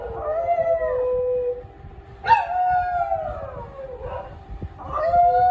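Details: Domestic dog howls in drawn-out tones that arch and fall away, a sharp higher onset in the middle, then a fresh rising howl closing the sequence.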